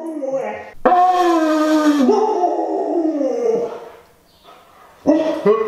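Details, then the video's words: Siberian Husky howling in a tantrum, set off by a blown conch shell horn: long, wavering, harmonic-rich tones that slide down and then up, breaking off and starting again after a short pause. "FORCING A HOWLING TANTRUM OUT OF OUR HUSKY!"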